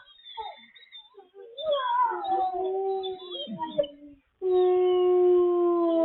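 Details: Captive wolves at the International Wolf Center, Ely, Minnesota, on a live cam: soft scattered whimpers and yips build into sliding, descending howls, then after a short gap a single clean, steady sustained howl with clear overtones.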